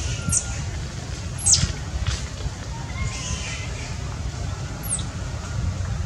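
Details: Orphaned baby monkey crying from hunger for milk, giving three brief shrill squeals that slide sharply down in pitch, spread across several seconds over steady low background noise.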